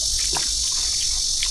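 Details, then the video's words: A cricket, known locally as kuliglig, calls outdoors near a hidden lake where people are eating; its steady, high shrill runs unbroken beneath a few short low murmurs and soft clicks. "Ako, ang tawag po yung kuliglig ang tawag ko dyan. Kuligling tawag sa amin."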